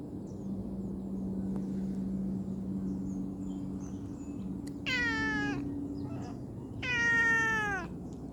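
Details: While being played with, a cute kitten lets out two high, bright meows about two seconds apart, each starting sharply and sliding down in pitch. A low droning hum runs underneath.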